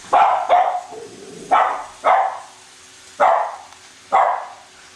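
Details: Cavalier King Charles Spaniels Colby and Shelby bark while chasing a new toy train circling the Christmas tree at home; six loud, clipped barks, a quick double at the start, then spaced singles, over a low steady hum.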